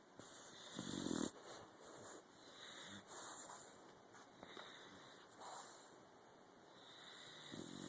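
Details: Helmer, a pet dog, asleep in a home office one morning while exceptionally tired, snoring in REM sleep: breathy, noisy snorts and huffs recurring about every two seconds, with a louder rasping burst near the start and quiet room hiss between.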